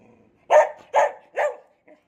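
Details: Cherry, a pet dog caring for kittens, 'talks' in three short, rising-falling harmonic yowls about half a second apart, each with a mid-pitched, slightly whiny tone, in a quiet indoor setting.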